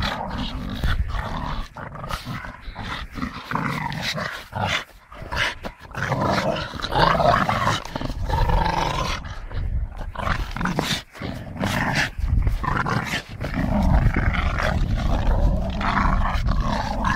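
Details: Staffordshire bull terrier at play with a tyre, keeping up a rough, low growl broken by short gaps and bursts, mixed with bumps and scraping of the tyre.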